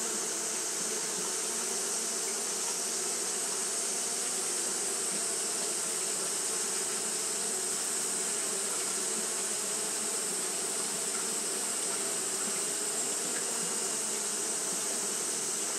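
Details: Japanese honey bees fanning steadily on a hot day, a continuous low droning hum with layered bands under a bright, unbroken high hiss that runs through all sixteen seconds without a pause.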